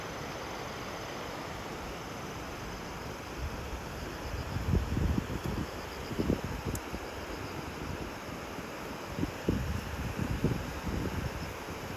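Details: Steady wind rumble with low, irregular thumps and gusts of microphone buffeting throughout; no animal voice stands out.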